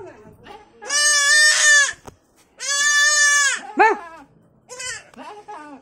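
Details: Young goat kid crying for its mother: loud, harmonic-rich wavering bleats, two long cries of about a second each, followed by shorter quavering bleats and a brief final call.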